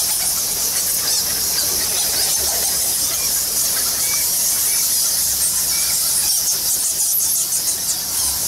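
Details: In the Balinese temple cave of Goa Lawah, a huge bat colony produces an endless wash of thin, high squeaking, with occasional short clearer notes rising above the massed chatter.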